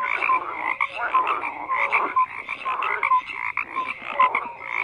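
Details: Frogs croaking as a crowded chorus, with short tonal notes and rasping croaks swelling and dipping every second or so over a steady background of calling.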